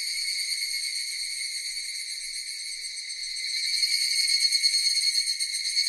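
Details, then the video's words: Cicadas keep up a bright, sizzling, even buzz that steadily intensifies over the final seconds into a throbbing, rapidly pulsed drone. "Cicadas Sound effect"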